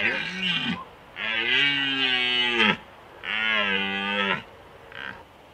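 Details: Rutting red stag recorded in Slovakia's Small Fatra in 2021 gives three long, deep, moaning roars, each about one and a half seconds, rich and harmonic, falling slightly at the end. A brief fainter call follows, with quiet pauses between.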